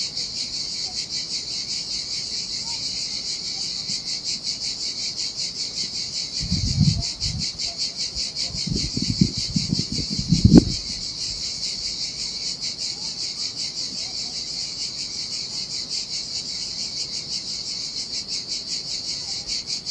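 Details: A steady, high-pitched cicada drone fills the air on a deserted Sardinian beach in summer heat, with a fine rapid pulse; low rumbling thuds and a sharp knock break in briefly near the middle.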